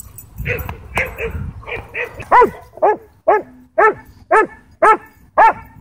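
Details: Aggressive sheriff's K-9 Belgian Malinois at a Texas dog park: softer barks at first, then loud harmonic barks repeating about twice a second, seven in a row, over light background noise.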